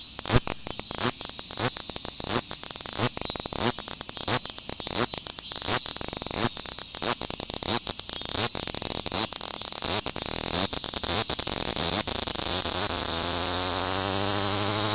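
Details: Song of the large brown cicada, Graptopsaltria nigrofuscata: a shrill, buzzy sizzle pulsing about one and a half times per second, then merging into one continuous, steady drone over the last few seconds.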